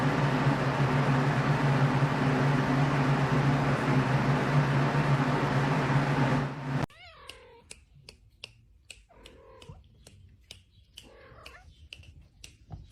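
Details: Domestic cat in a funny cat compilation, heard indoors after a burst of loud rumbling noise cuts off; a few short rising meows come between sharp clicks and taps in a quiet room.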